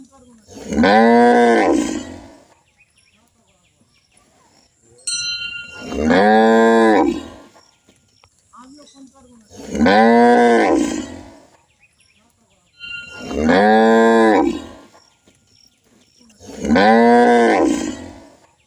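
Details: Village cows in India giving short, loud moos, five in a row about every four seconds, each a brief rising-and-falling bellow with gaps of near silence between them.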